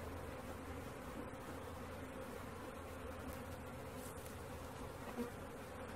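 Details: Honey bee swarm being caught, a steady low droning hum of many bees with a constant band of sound throughout and no other clear sounds.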